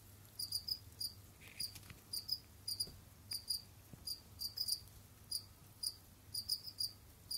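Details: Jamaican field crickets kept as pets, roaming and digging, produce sharp, shrill chirp pulses repeated in small bursts roughly every half second, with a few faint knocks and a low background drone.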